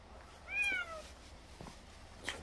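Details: Old, frail feral domestic cat in a corner of a rural house, still begging for more cat treats after eating. One drawn-out meow slides downward in pitch, followed by quiet background and a faint click.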